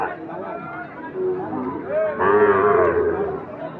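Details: Sahiwal bull calves for sale at Ambari livestock market, held Fridays and Mondays; a drawn-out harmonic moo swells midway and fades, over steady crowd chatter and voices.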